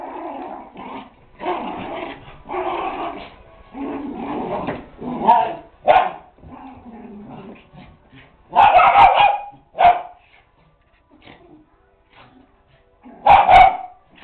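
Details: Two poodles playing together indoors: bouts of grumbling growls and yips early on, then loud separated barks near nine, ten and thirteen seconds, with quieter pauses between.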